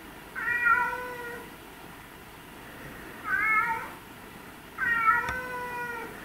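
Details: Domestic cat meowing indoors, three drawn-out harmonic meows about two seconds apart, each slightly arched in pitch, with a sharp click near the end over a quiet background.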